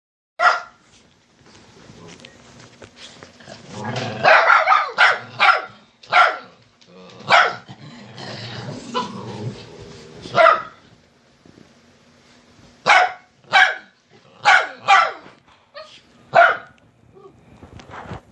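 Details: Pet dogs barking to wake their owner and get her out of bed, sharp broadband barks in irregular bursts, some clustered, with quieter gaps and a low background hum.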